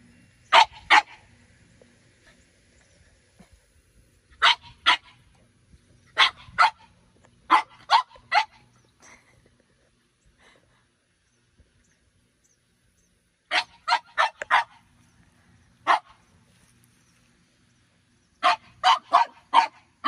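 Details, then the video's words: One-year-old female French Bulldog Minnie Rose barking in play at older dog Sami beneath a grape pergola during morning garden watering; clusters of two to four quick, sharp barks separated by quiet gaps of a few seconds. "FRENCH BULLDOGS JUST WANT TO PLAY"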